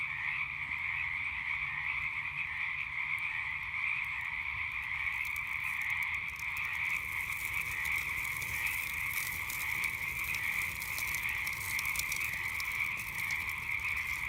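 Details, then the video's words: A frog chorus at night keeps up a steady high trilling hum alongside a campfire; after about five seconds the fire's crackling and snapping grows frequent and bright over the unbroken croaking drone. "Relaxing Sounds of Frogs and Campfire at Night"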